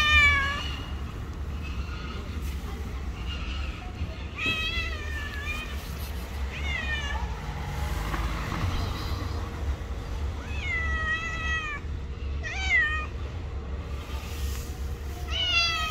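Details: Two street cats that hate each other meet and fight, giving repeated wavering, rising-and-falling yowls in bursts across the stretch, over steady low traffic rumble.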